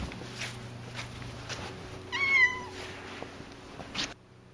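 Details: Cassidy, a very talkative pet cat, gives one short harmonic meow, rising slightly then leveling, midway through; low steady indoor hum and a few soft knocks around it.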